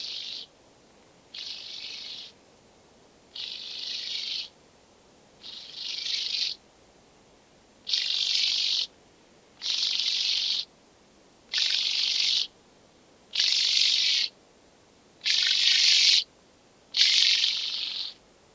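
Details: Speckled buzzing grasshopper at Vorderriss, Germany, 11 August 2022, producing about ten dry, rasping buzzes, each under a second long and spaced nearly two seconds apart, growing slightly louder toward the end.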